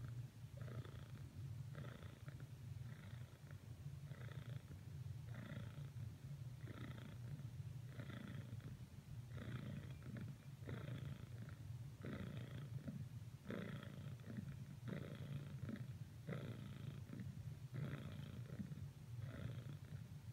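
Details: Cricket, a domestic cat, purring persistently while attempting to cuddle with Whisper; continuous deep rumbling purr with rhythmic breathing pulses roughly every second across the whole stretch.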